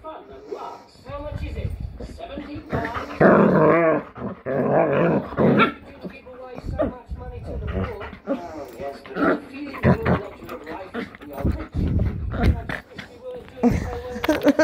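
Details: Household pets, a German shepherd and a Jack Russell cross Chihuahua, 'talking' in their own language: drawn-out, wavering, moaning growls and howl-like grumbles in bursts, mixed with human voices answering them.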